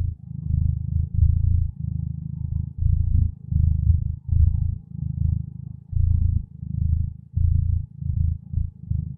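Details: Low, throaty purring from a contented cat, rhythmic rumbling swells repeating about once per second in steady breathing cycles, quiet background.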